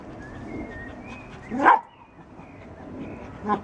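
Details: Ollie, a pet dog, lies around in the rain entertaining himself before needing attention. One short, sharp, tonal yelp rises midway, then a softer second one closes the clip over low steady rumble and faint thin whistled tones.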